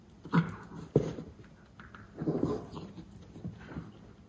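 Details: Two young male white Miniature Schnauzer brothers make short, rough growls and huffs with a sharp yip as they play-tussle after eating, 21 April 2022, Aroostook County, Maine.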